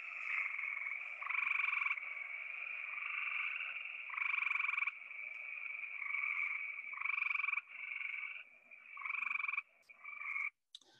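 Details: Several tree frogs near houses around St. Louis call together in a breeding chorus, each giving a fast, buzzy, musical trill lasting a second or two, overlapping almost without pause into a steady chorus.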